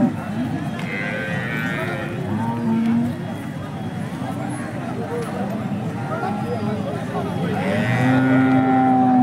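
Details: At the Peth Vadgaon cattle market in Maharashtra, Holstein Friesian cows give two low moos, one brief and steady, a later one longer and fuller, against constant talking from buyers and sellers.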